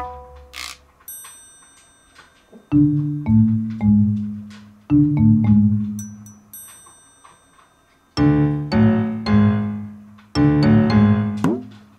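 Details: Mallet percussion music, marimba or xylophone-like notes struck in bright clusters with ringing high chimes and pauses between phrases; no animal voice present.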